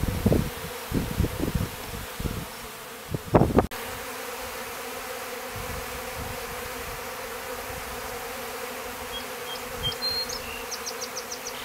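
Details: Honey bees emerging from their clustered hive after a cold winter near wild mustard in Stillwater, Minnesota; steady low humming drone with harmonic bands, preceded by loud handling knocks in the first seconds and brief high bird chirps near the end.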